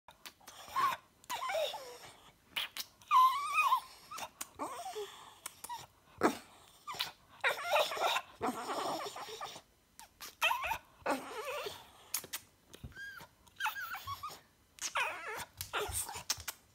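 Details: A Boston Terrier makes funny noises, snorting grunts and thin, rising whines in irregular bursts, seeming to say "mama" at the end.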